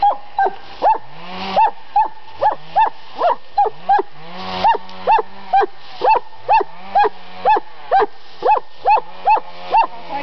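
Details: A dog at a summer home in Estonia barks nonstop, short bright yaps a little over two per second, fairly regular, with faint low background rumble.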